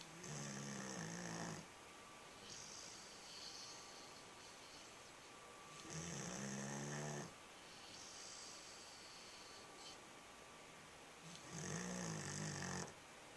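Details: A sleeping nine-month-old dog snores indoors: three long, rasping, buzzy snores roughly every five to six seconds, each lasting about one and a half seconds, with softer wheezy breaths in between.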